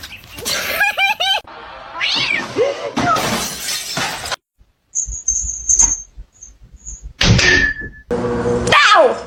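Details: Domestic cat in a compilation of funny pet moments, giving a few short arching meows early on and a longer wavering wail near the end, broken up by thumps, human speech and a brief high electronic tone.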